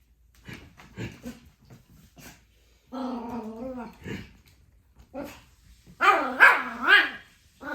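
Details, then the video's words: Pomeranian puppy roaring: scattered short yips and grumbles, then a drawn-out wavering howl-like growl, a pause, and a louder, higher rising-and-falling roaring yowl near the end. "This is How Pomeranian Puppy Roaring!"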